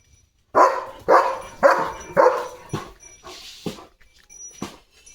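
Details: German Shepherd Leo, a mischievous pet dashing around with a water mug in its mouth, barks four times loudly at even half-second intervals, then the barks fade into softer, sparser sounds.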